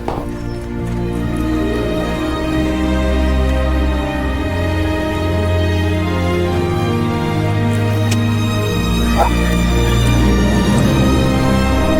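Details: Loud, continuous instrumental music with sustained low tones plays throughout, with no animal sound heard.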